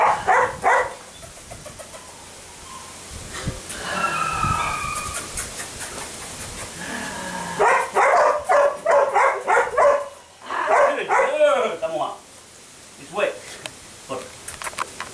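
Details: Mika, a sable female puppy eight weeks old, gives bursts of short, high yelps and whiny barks in quick runs. Quieter gaps and a low background rumble fall between the bouts.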